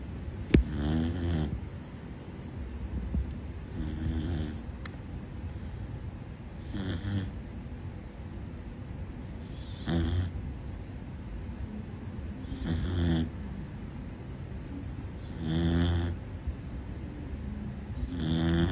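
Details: Loud snoring from a Corgi puppy: a long, regular series of about seven rattling, throaty snores spaced roughly every three seconds, each a brief buzzy burst separated by softer breathing rumble.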